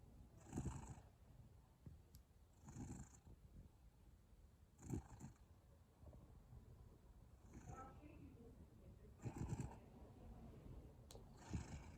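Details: Sleeping cat snoring: soft, breathy low rasps recur about every two seconds, each with a faint hiss, against a quiet steady room hum.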